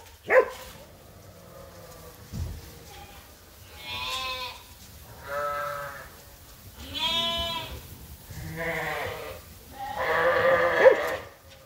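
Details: Groups of farm sheep and lambs bleat while waiting for feed during morning chores: a run of long, quavering bleats, some clear and nasal, others hoarse and breathy, overlapping at irregular intervals, with a thump and low farmyard noise.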